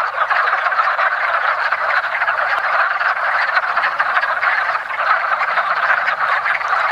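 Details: Wood frogs (Rana sylvatica) in a woodland pond at the first hint of spring, during their annual mating ritual: a dense, continuous chorus of overlapping clucking, duck-like croaks with no pauses throughout.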